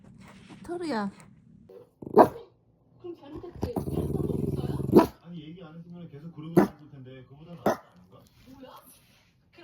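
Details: Pet dog barking in short sharp bursts, with a rough rumbling growl lasting over a second in the middle, while people talk in the background indoors.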